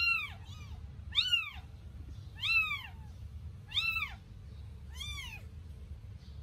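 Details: Newborn Sphynx kittens, eight days old, bathed for the first time: five clear, high, rise-and-fall meows spaced about every 1.2 seconds, steady and insistent, above a faint low background hum.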